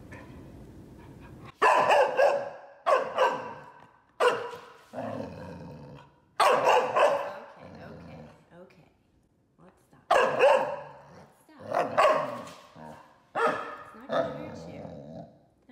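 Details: Almost five months old, Golden Retriever pup Rocky resists his brush, letting out repeated loud barks and growly yaps in bunches of two or three, separated by brief pauses, indoors.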